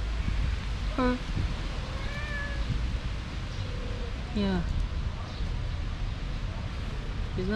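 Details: Meowing in a household cat family where the mother refuses to nurse her four active kittens and kicks them away; several short downward-bending meows spaced a few seconds apart, with people talking over low room noise.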